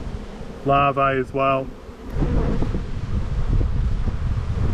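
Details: Honey bees in an Australian bee yard during a spring buildup hive inspection, 7-9-22: three steady, low droning buzz bursts close together in the first two seconds, followed by a rough, rumbling wind-like background.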